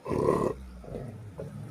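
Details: Rottweiler in a squabble, chasing another dog away, gives a loud rough half-second growl, followed by quieter grumbling while a person calmly urges the dogs to stop fighting.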